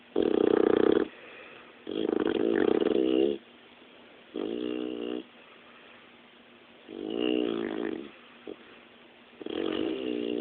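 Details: Loud snoring from a sleeping dog: five long, rattling, buzzy inhalations of about one second each, coming every two to three seconds, with quiet pauses between and a small snuffle near the end.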